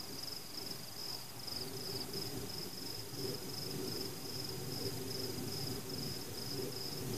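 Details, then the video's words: An unbroken, shimmering high cricket trill accompanies fireworks, pulsing evenly over a dull low rumble. "Fireworks Celebration (ambient sound including crickets)"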